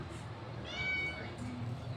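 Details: A cat said to be afraid of dogs gives one drawn-out meow of about half a second, its stacked harmonics steady and then sagging slightly at the close, set against a low background hum.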